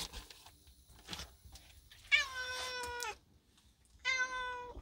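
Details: Pet cat excited after rolling in freshly found wild catnip gives two drawn-out, harmonic-rich meows, each about a second long with a brief pause between, amid soft rustling and a quiet human voice.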